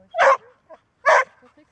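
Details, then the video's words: Golden Retriever, a dog said to bark rarely and only when needed, giving two loud, broad, harsh barks about a second apart, with faint softer sounds between them. ""Bellen", Golden Retriever"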